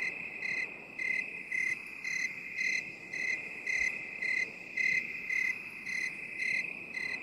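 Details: Binaural 8D cricket recording: regular high chirps about twice a second, some louder than others, pulsing above a continuous shrill ringing trill and a soft noise floor.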